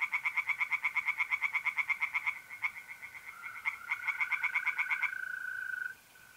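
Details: [0, 0]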